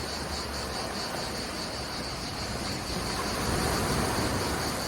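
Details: Cicadas out in full force in Menton, France, beside crashing waves; a steady high pulsing buzz rides above the broad, continuous roar of surf.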